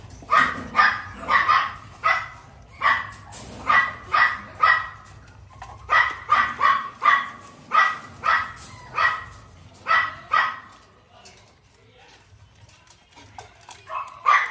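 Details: Young Miniature Pinscher, newly able to eat, in An Giang, Vietnam, yapping in quick high barks grouped in twos and threes, a steady run that fades into soft rustling near the end.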